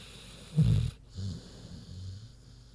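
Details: Big pig Queenie asleep, one short gravelly low snort-snore, then two softer rumbling breaths trailing away.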